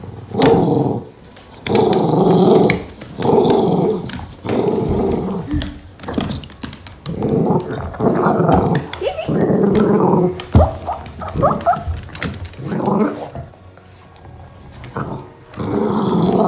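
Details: A Poochon dog playing footsie soccer with its owner inside a house gives loud, throaty growls in bursts of one to two seconds, broken by short pauses, with a few sharper bark-like notes and quiet human voices.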